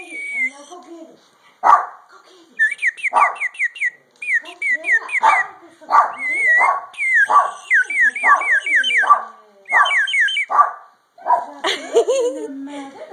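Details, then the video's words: Dogs barking in reaction to a bird call: short sharp barks roughly every second, alternating with quick runs of whistled, sliding chirps from the bird call, and a person's voice near the end. "Dogs React To Bird Call"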